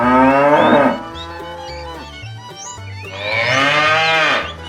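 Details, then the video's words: Two long moos from a herd of tame cows heading out on a long trek to fresh pasture, the second rising and swelling, over steady background music and scattered high bird chirps. "A herd of tame cows begins a long journey towards fresh pasture, Funny cow sounds"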